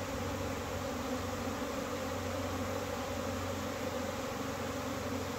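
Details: Bees on the wing in April following cold weather; a steady low buzzing drone of many insects over a separate deep, even mechanical-sounding hum.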